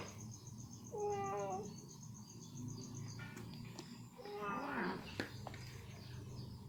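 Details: Ginger cat with chicken meat lodged in her teeth while eating, working hard to free it, lets out a brief high meow, then a wavering, strained meow amid clicking and chewing noises over a low room hum.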